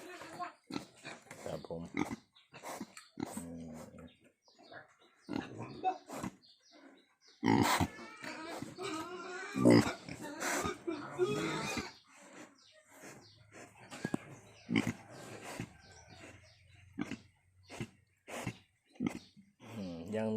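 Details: Newborn wild boar piglets nursing just after their mother gave birth, one still with its umbilical cord attached; shrill, harmonic squeals and grunts cluster in the middle stretch, with a man talking in Thai almost throughout.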